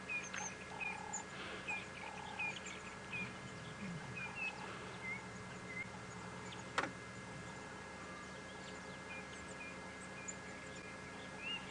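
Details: A tiny dwarf mongoose pup, popping its head out, gives short, high, thin chirps every second or so, apparently seeking comfort from its mother or group. The steady engine hum is from a sunrise safari drive at 7:40 AM on 12 May 2017, with one sharp click.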